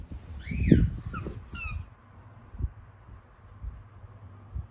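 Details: Female Kooikerhondje puppy Hana from Japan, born May 30, 2021, during morning shuttle run training: two brief high squeaks, each sliding downward with a thin whistled edge, then soft thumps and quiet room noise.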